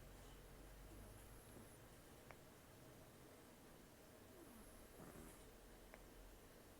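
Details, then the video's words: Rescued senior cat Taro, estimated 10–14 years, few teeth left from gum disease, snoring in sleep; quiet wheezy whistles come roughly every three and a half seconds, with soft clicks beneath a constant low background rumble. "ねこのいびき 猫 いびき"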